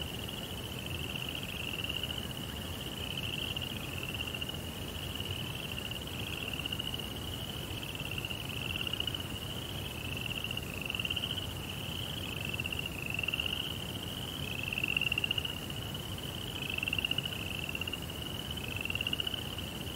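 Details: Night crickets in a Japanese Zen rock garden trill in high, rhythmic chirps repeated about once a second, each slightly rising, overlapping into a continuous shimmer above a soft low background.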